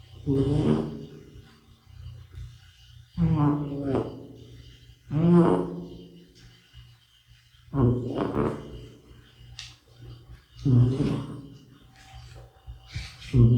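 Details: A sleeping middle-aged cat named Bota snores indoors: six strong, throaty, vibrating snores, each swelling then fading, spaced roughly two to three seconds apart, over a faint steady hum.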